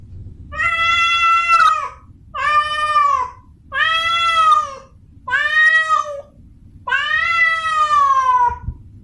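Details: Female domestic cat in heat, calling for a mate, gives five long, steady, harmonic yowls in quick succession, each about a second, the final one drawn out and dropping in pitch; quiet background.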